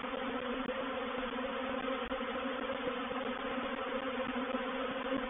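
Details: Swarming honey bees moving into a bait hive at Painted Peacock Manor, 04/07/21, make an intense, constant buzzing roar of many wings, rich in low humming tones, with one brief dip.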